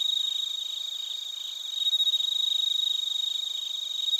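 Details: Crickets and bell crickets in Narita, Chiba, Japan, recorded via TASCAM Portacapture X8; a close, loud cricket gives rapid pulsed chirps in rhythmic bursts over a high ringing insect background.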